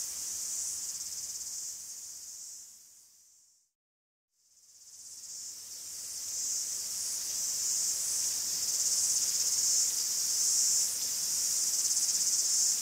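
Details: Cicadas in a Greek forest sing a dense, high, continuous buzzing chorus that swells and eases in waves; the sound fades to a brief silence near four seconds, then returns and grows louder.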